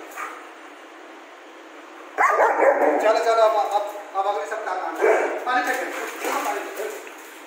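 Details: German Shepherd named Rambo, angry at its owner after too much bathing, voicing a run of rough, grumbling barks and yips with harmonic whines, starting after two seconds of quiet and continuing in bursts over steady background hiss.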